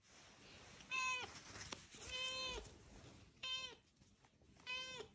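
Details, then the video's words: Scottish Straight cat, a female raised by a breeder in Dordogne, France, bringing back a ball and asking for it to be thrown again; four clear, steady harmonic meows, each under a second, spaced about one to one and a half seconds apart. "Fumiko Scottish Straight rapporte la balle !"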